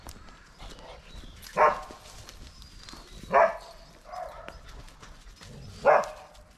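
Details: Male dog barking after finding a squirrel, four loud short barks spread over several seconds at irregular spacing, one softer than the rest, against a low outdoor background hum.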